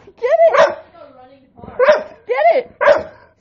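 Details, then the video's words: Dog giving a run of vocalizations that sound like an engine revving: four harsh, rising-then-falling yowling barks with a short low growl between, while a person shouts commands just before. "Dog sounds like engine revving"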